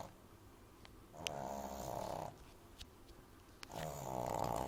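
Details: French Bulldog puppy named Amy snoring loudly while asleep in a person's arms indoors: two long rasping, nasal snores, each about one second, separated by quieter breathing.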